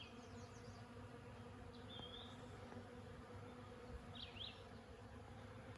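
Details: Many Western honey bees (Apis mellifera) on lilacs make a steady, low, droning hum, with a few faint bird chirps above it.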